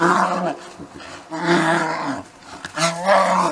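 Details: Two wild male bears fighting over territory, giving harsh, deep, harmonic roars in three loud bursts, each about a second long, separated by short quieter gaps of growling.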